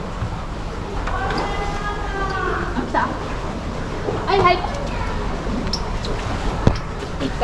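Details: A South American fur seal pup about one month old, born June 16, 2023 at an aquarium and lively, biting staff, gives harmonic, bleating cries while people talk nearby.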